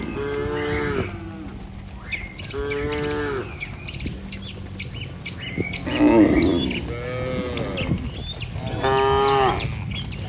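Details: Healthy domestic cattle in a herd walking together toward their barn with a herder. Deep, drawn-out harmonic moos, each lasting about a second, come from several animals at irregular intervals. Sharp bird chirps sound above them throughout.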